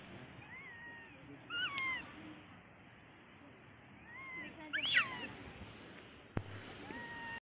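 A small monkey gives thin, whistled chirps that rise and fall, repeated in short bursts.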